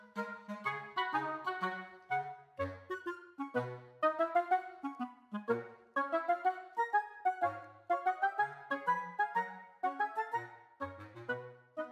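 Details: A lively clarinet melody plays in rhythmic phrases of quick notes, with no animal voice heard.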